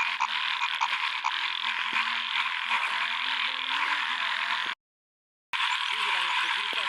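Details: Frogs calling at a small lake in a field during the first rain: a dense, continuous chorus of rapid pulsed croaks forming a steady high buzzing wall, with lower faint notes beneath; brief silent gap near the end.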